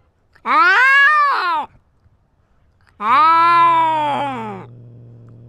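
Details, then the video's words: A cat asserting dominance in a territorial fight, filmed with a GoPro. Two loud, strained yowls, each bending up then dropping away, about two seconds apart, followed by a low steady hum. "Cat with GoPro fights and asserts dominance"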